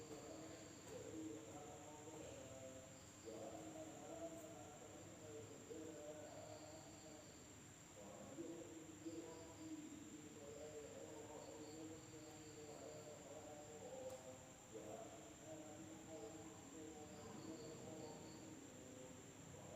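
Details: Indonesian village at night, insects droning: one constant piercing tone runs the whole time, brief buzzy trills come and go above it, and lower warbling calls rise and fall in rounds.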